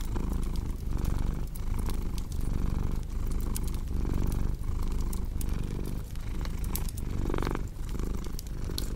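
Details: Cat purr as a low, throbbing rumble that swells and eases in a regular breathing rhythm, roughly every one and a half seconds, over cozy fireplace crackle with frequent bright snaps.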